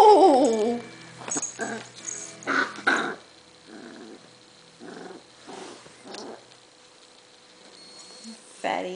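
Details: A pet dog named Butterball, tickled on his fat stomach, makes small discomforted noises: a wavering tonal whine opens, then soft low grumbling pulses come in an uneven series with a brief louder sound at the end.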